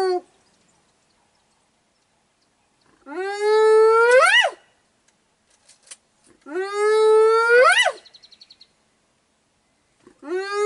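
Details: In Kruger National Park near Biyamiti Bushveld Camp, a spotted hyena whoops repeatedly: each call starts as a low, steady hoot, then swoops steeply upward into a strained finish, repeated every three to four seconds; spotted hyena.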